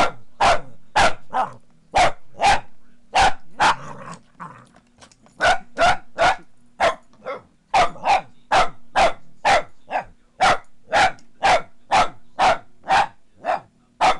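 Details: A Boston Terrier barks at a foot massager, which she hates, in rapid, sharp bursts of about two a second, with the massager's steady low hum beneath.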